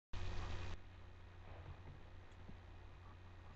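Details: A short loud burst of noise opens, then only quiet hiss and low electrical hum follow, with no animal voice.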